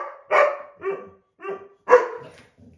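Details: A white boxer is upset that an older black Lab mix took the window seat. Four or five rough, throaty barks in under three seconds, some drawn out into a growly tail.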